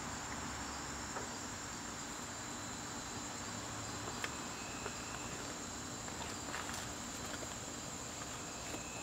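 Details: Crickets calling in a garden during September evenings: a constant shrill, even trill held throughout, with a few faint scattered ticks and taps in the background.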